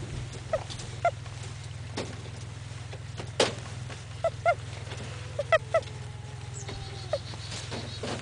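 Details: English Angora doe named Isodora squeaking, probably because she is in season for the first time; short high squeaks scattered across the clip, several in quick pairs, over a steady low hum.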